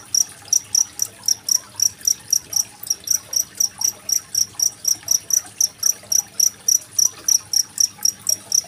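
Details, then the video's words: High, metallic cricket chirps, about four each second in an even series, from a recording dated 25 February 2023 meant for teaching competition songbirds such as magpie-robins; gentle water gurgle in the background. "Suara masteran jangkrik dan gemericik air"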